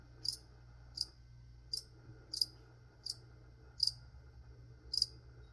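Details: Indoor cricket giving seven crisp, high, evenly spaced chirps, one about every 0.7 seconds, over a quiet low room hum.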